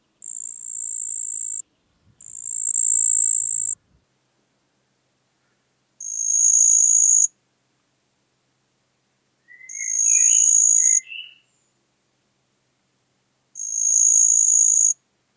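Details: Song of the marsh cricket from Puntigam, Austria, 4 June 2022. Bursts of high trilling run about one to two seconds each, separated by pauses. A brief faint chirping from another source appears partway through.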